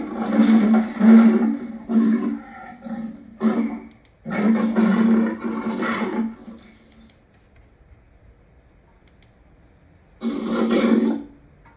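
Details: Lion giving harsh, rasping growl-roars in two long bursts of about three and two seconds, a short one between them, then quiet before a final second-long snarl.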